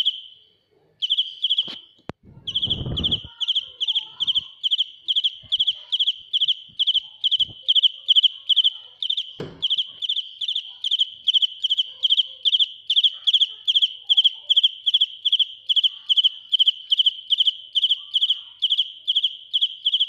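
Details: Cricket singing loudly at close range. After a brief opening chirp and a few handling clicks and thumps, a long run of rapid, high pulsed chirps follows, evenly spaced at roughly two to three per second and unbroken to the end.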